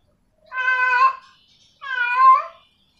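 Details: Female domestic cat in heat meowing to a male: two drawn-out, harmonic-rich meows, each under a second long and separated by a short pause, with the second meow rising slightly at its end. Otherwise quiet.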